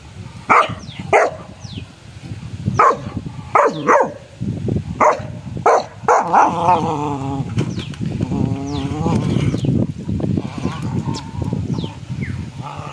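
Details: Playful Rottweiler, which lost a tooth during play, letting out a string of sharp, separate barks at irregular intervals over steady background music, followed by a wavering whine-like sound.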